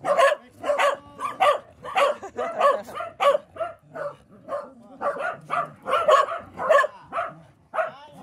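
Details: Welsh Corgi brothers, from a household of eight corgis, bark in rapid sharp yapping bursts, about one and a half per second, in volleys with short gaps between them.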